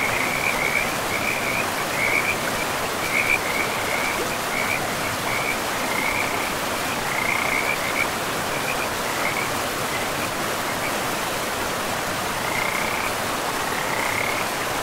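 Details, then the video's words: Frogs calling by a forest river, giving short high rattling trills in quick bursts, roughly one every half second, with pauses between runs, all over a steady hiss of rushing river water. "River and Frogs sleep sounds"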